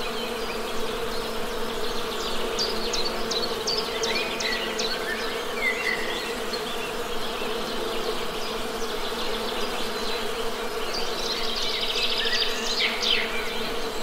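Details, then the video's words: Honey bees give a level, unbroken buzz, joined by sharp repeated bird notes and twitters in the upper register across the whole stretch. "Best Honey Bee Sound!"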